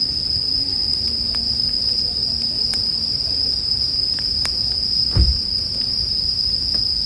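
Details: Steady shrill ringing of bell crickets blends with a campfire's irregular snaps and one louder crackle near the end, arranged as soothing sleep music over a quiet low hum.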